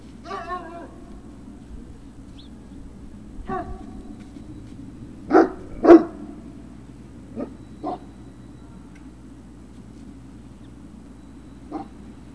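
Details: Great Dane puppies at Puppy Hill, recorded 03-06-2019 in the late afternoon: scattered short yips and sharp barks, a few close together around the middle, then sparse single yelps over a steady low hum.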